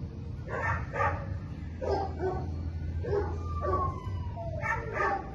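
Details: Belgian Malinois named Minx during week one of a board-and-train program at a Florida K9 academy; a few short barks in uneven bursts over a steady low hum, with a thin gliding whine in the middle.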